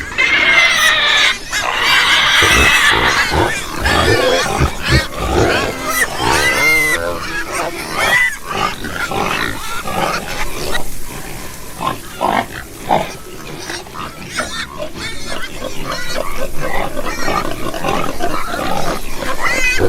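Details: Group of pigs, including piglets, on a pig farm, producing dense overlapping grunts and chattering snorts with bursts of high, harmonic squeals, loudest in the first three seconds, continuing as a busy, irregular clamour throughout.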